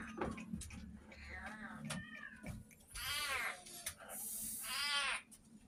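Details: Abandoned cats at a rescue shelter as their food runs low: soft sounds and a human voice at first, then two long, loud, wavering meows, each lasting about a second, with a low background hum.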